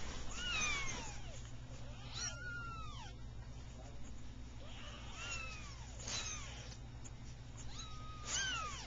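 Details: Persian kittens three weeks old, litter of a calico with two red-and-white and one cream-and-white kitten, playful and meowing, filmed 15 November 2009; thin, high arching mews repeated roughly every one to two seconds over steady low background hum.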